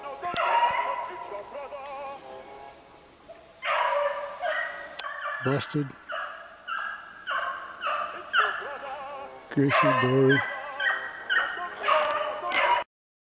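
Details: Pack of Beagles baying while running snowshoe hare, 3/8/16: several overlapping, ringing, drawn-out bays and yelps in bursts, with a couple of sharp, heavy knocks or thumps partway through.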